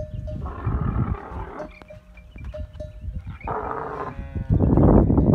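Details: During camel masti, or rutting season, a camel gives a low rumbling gurgle, then a roaring burst. Short ringing tones repeat in the pause, and a loud rough gurgle closes.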